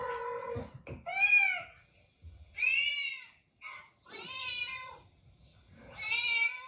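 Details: A cat gives a handful of drawn-out, bending meows separated by short pauses, some brighter and higher than others, with faint soft rustling between calls.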